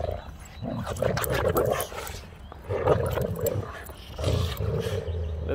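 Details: Rex the Boxer, eager for outdoor play with little brother Sammie, keeps up a rough, talking whine in several uneven bursts of groaning moans, with a person's voice briefly heard between them.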